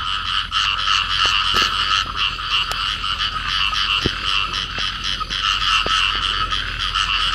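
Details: Field frogs calling as an embracing pair: rapid buzzy croaks pulsing steadily, with sharp clicks and taps scattered through the recording.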